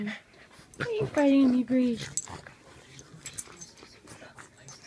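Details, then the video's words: While playing, Brady the Boston terrier and Piggy the frenchton give a quick whining grumble in several short tonal pieces lasting about a second, followed by quieter breathy snuffles and faint household noise. "Brady and Piggy playing"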